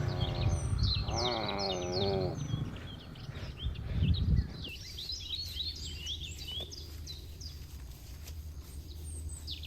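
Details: A herd of cattle grazes a green field as one animal lets out a short, wavering low moo near the start, followed by wind noise and a busy chorus of high twittering birds.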